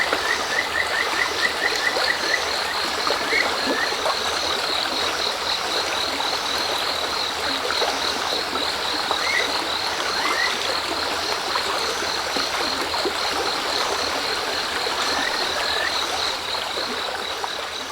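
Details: Kajika frog calling beside a river stream between dusk and nightfall. A quick trilled run of short, even notes opens, followed by scattered single chirps, all partly masked by the loud rushing stream and a steady high insect hum, with crickets also present.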